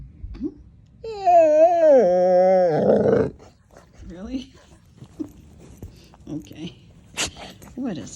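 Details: Female dog indoors, after barking at nothing, fighting the urge to bark: a drawn-out nasal whine-groan wavers for about two seconds and ends in a muffled huff, followed by a person's soft talking and small murmurs.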